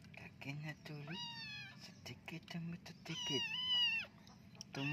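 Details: A flea-ridden kitten being bathed gives two drawn-out, plaintive meows, the second longer and higher. A person speaks softly in Indonesian, and a steady low hum runs underneath.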